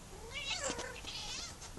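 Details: Female house cat watching pigeons outside and making odd noises with her mouth: a short, loud, strained chirping vocalisation with wavering, squeaky overtones lasting under two seconds.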